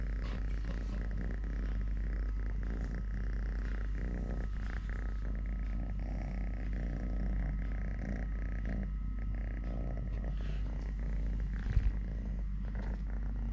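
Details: Totoshka, a three-legged pet cat whose mother bit off a leg at birth, purring while eating, playing, walking or fighting with a hand; a steady low rumbling purr with faint rustling and a brief knock near the end.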